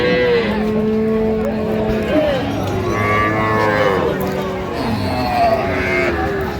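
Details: Cows with calves at Raniganj market in Dinajpur, 23 October 2025; a sustained flat moo lasting about two seconds opens, followed by shorter, falling calls from several animals over a noisy crowd.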